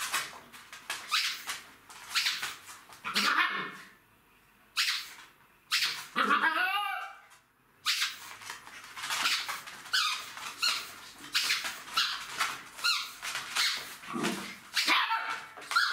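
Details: Jack Russell Terrier puppies, three months old, playing with their mother: rapid rough yaps and scuffles, a pause, then a drawn-out wavering whine near the middle before dense bursts of barking and tussling resume.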